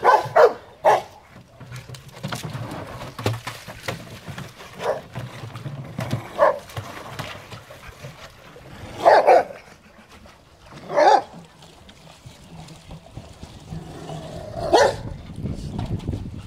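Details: Rottweilers at play in water give scattered single barks several seconds apart, over a steady background of splashing and low noise.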